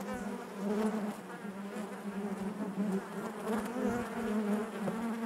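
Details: Massed honey bees buzz within the hive: a thick, even hum with wavering overtones and scattered short whirring flights across the recording.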